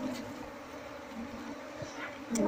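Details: Continuous buzzing drone from a honey bee colony housed inside a wall, heard after a search for its queen, with a faint knock midway and a louder scraping knock at the close.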